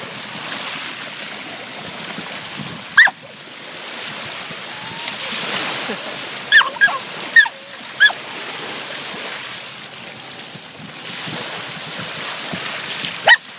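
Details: Puppy named Chloe on her first beach walk, barking at the waves: short sharp yaps at about three seconds, a quick cluster between six and eight seconds, and one more near the end, over steady surf and splashing.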